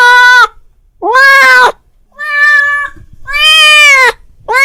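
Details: Domestic cat calling his friend, with four loud meows in under five seconds, each lasting about half a second to a second, steady and strongly harmonic, the last one cut off.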